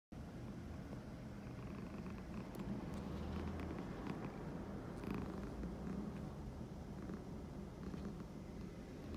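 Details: Cat purring at high volume; a steady, low, rumbling purr runs through the whole stretch, swelling slightly in the middle, with a few faint soft clicks and brief rustles.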